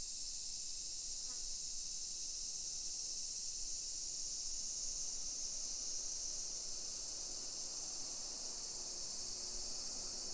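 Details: Cicadas singing at 1 PM on 28 July 2021 in suburban Nisshin, near Nagoya, Japan. A continuous hissing, high-pitched wall of sound holds level throughout, with soft footsteps and distant town noise beneath.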